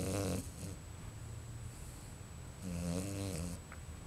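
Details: Pregnant Bichon Frise named Luna, forty days along with five puppies expected, snoring while asleep in her bed; a buzzy, rattling snore at the start, a quiet pause, then another drawn-out harmonic snore, indoors.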